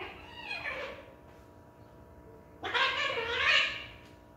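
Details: Domestic cat indoors calling out in two drawn-out meows, the first falling in pitch, the second louder and longer with a wavering tone, separated by a quiet pause.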